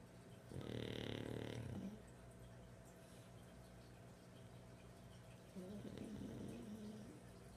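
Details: Hendrix the pug asleep, snoring in two long rumbling breaths: a loud, rough snore of just over a second near the start, then a softer, shorter one about four seconds later, with quiet room hum between.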